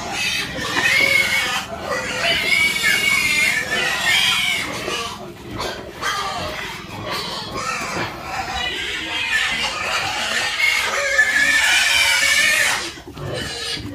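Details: Farm pigs, piglets among them, squealing in long, wavering, high-pitched bursts, several animals overlapping and sometimes pausing briefly, with scattered voices and clatter mixed in underneath.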